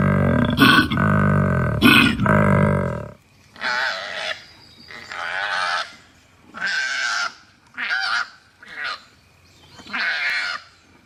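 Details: A koala (Phascolarctos cinereus) gives a deep, rumbling bellow followed by a series of harsh, rasping snorts.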